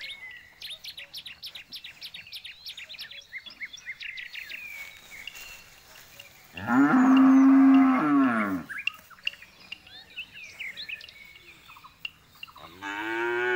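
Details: Rapid bird chirping fills the background before a jumbo bull lets out one loud, steady moo of about two seconds, followed by more birdsong and the onset of a second bellow at the close.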